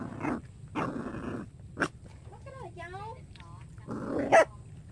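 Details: Young puppy barking in short bursts, with a run of wavering, high whimpering whines in the middle; a person speaks Vietnamese between the sounds.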